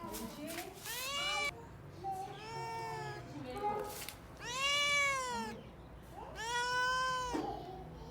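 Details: Domestic cats in a fighting-sound compilation: several drawn-out, rising-then-falling meows and yowls about a second long, separated by short pauses, with faint talking in the background.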